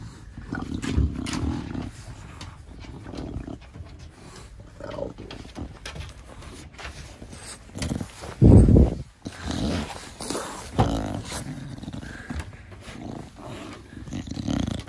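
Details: Da Vinci, a pet short-nosed Bulldog, playing close with its owner in the garden, gives deep, low snorts and grunting exhalations in uneven bursts, one loud heavy puff near the middle, over rustling movement.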